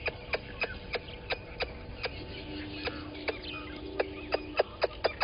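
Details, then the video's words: At a waterhole on Djuma Game Reserve in South Africa's Sabi Sand Wildtuin, a squirrel alarms at a water monitor lizard at 11:45 on 10/04/20: evenly spaced sharp clicks growing louder, with a low steady hum midway. "Squirrel alarming at Water Monitor Lizard"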